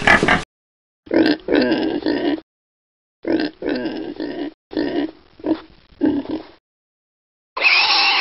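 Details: Domestic pig on a farm giving short bursts of rough, throaty grunts in quick clusters, separated by abrupt silent gaps, with a harsher, louder burst at the start and end.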